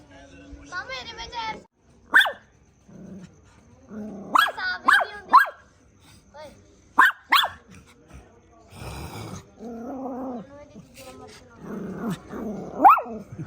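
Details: Sharp single and paired dog barks alternate with human speech, a rushing noise burst and a short growl-like sound near the end.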